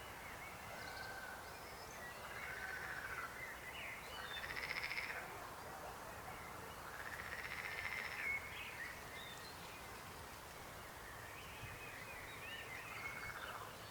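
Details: A chorus of frogs, their croaking swelling into rasping bursts a few seconds apart over a steady hum of distant callers.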